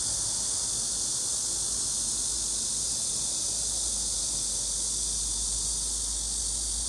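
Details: Cicadas calling in a summer forest on a low mountain not far from a road, a dense chorus forming one unbroken, high, hissing drone that holds steady without pause throughout, with a faint low rumble beneath.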